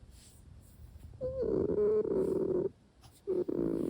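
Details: Sora, a sleeping Russian Blue kitten, talks in its sleep indoors: a soft sustained murmuring tone that starts with a short upward chirp, breaks off, then returns as a second hum, over a quiet purr-like rumble.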